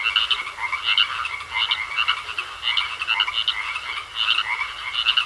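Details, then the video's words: Croaking frogs in a pond, loud rattling pulsed calls delivered in clustered bursts about every half second, several frogs answering one another over soft background hiss. "Sounds Of Frogs Croaking In A Pond"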